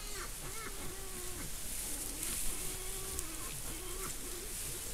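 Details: Female wild boar nursing piglets, filmed by a camera trap in the Monti della Laga, Gran Sasso National Park, Italy, between 2015 and 2019, give low, rhythmic grunts in a steady series over a background hiss.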